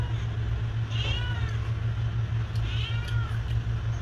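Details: Cat meowing outdoors: two short, nasal mews about two seconds apart, each bending downward, over a loud, steady low engine-like rumble.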